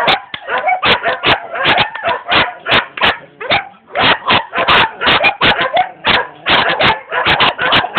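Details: Rapid-fire barking from a young German Shepherd in Jamaica: clipped, loud barks delivered in quick runs, several per second, pausing briefly near the middle before resuming just as fast.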